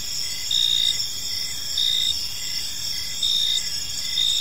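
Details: Crickets chirping on an evening in a park: steady high shrill trilling bands with a brighter chirp pulse swelling roughly every one and a half seconds, plus a fainter rhythmic beat below, no other sounds clear.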